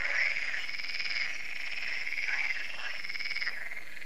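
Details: Frog chorus at Lac de Sabatte, a lake in France, in the evening as solar lights come on: a dense, continuous wall of overlapping croaks and trills, steady and loud throughout with no other clear sounds.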